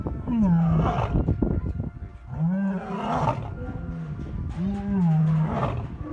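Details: Lions at Taigan lion park in Crimea, calling back and forth in a roll call in which a lioness joins in. Low, moaning calls slide downward, with three main calls spaced about two seconds apart. Faint background music.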